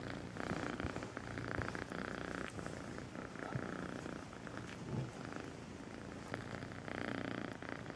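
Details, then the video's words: Kitten named Melissa purring sweetly: a steady, low rumbling purr with a rapid pulsing texture, rising and falling gently in loudness with each breath across the whole stretch. "El gatito con el nombre Melissa dulce ronronea"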